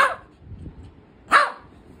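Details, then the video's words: Small Shih Tzu puppy busy playing with a toy lets out two short, sharp barks about a second apart, with quiet between them. "ShihTzu puppy playing with toy 🧸 || Dog playing || small dog 🐶"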